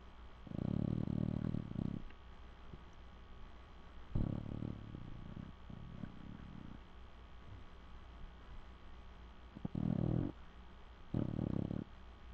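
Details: Cocker Spaniel named Nigel snoring while asleep on a couch; low, rasping breaths come in bursts of one to two seconds, separated by quieter pauses, over a faint steady room hum.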